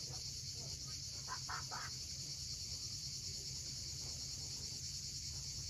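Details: High continuous cicada buzzing at sunset on Crimea's steep Cape Fiolent coast, with a quick series of soft bird notes early on and waves washing in the background.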